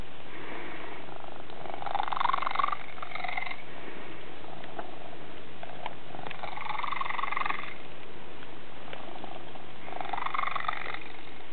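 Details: A deep, continuous rumbling purr from Tigger, a domestic cat whose purr sounds strangely unusual, with a few rough, higher growly swells breaking through at intervals.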